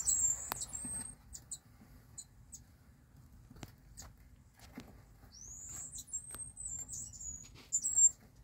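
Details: High-pitched whistled squeaks from a Mongolian gerbil (Meriones unguiculatus), a held note at the start and a longer slurred, slightly wavering whistle after five seconds, with faint clicks and light rustling between.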